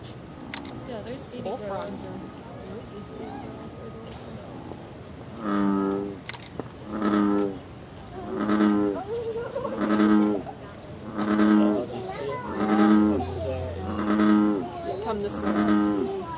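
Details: American bullfrogs mating at the National Zoo, Washington, DC, on July 5, 2014, with loud croaking from another frog off-screen, filmed on a camcorder: a series of deep, moo-like croaks repeated about every one and a half seconds, after people talking and faint music.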